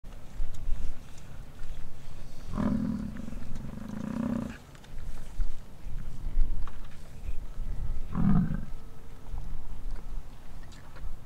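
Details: American bison roaring during the rut on a ranch in Wright, Wyoming: two deep, growling, lion-like roars, the first lasting about two seconds and the second short, over steady low rumble and outdoor noise.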